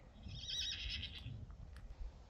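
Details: Friesian horse kept at a stable pasture with dry meadow ground, giving a quiet, fairly short whinny that rises into a bright, shaky tone and fades after about a second, over low rumbling background noise and a few faint clicks.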